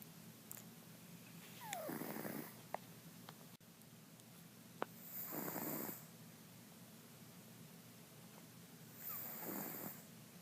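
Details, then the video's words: Sleeping house cat Mr. Jigilo, known as Jiggy, lets out three breathy, noisy snores roughly every three and a half seconds, with soft clicks in between in a quiet indoor room. "Snoring Mr. Jigilo the Cat"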